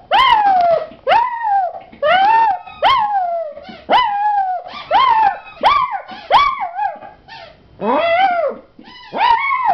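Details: Rapid run of puppy howls: about a dozen brief, yelping cries that jump up then sag downward, delivered almost back to back in a steady rhythm.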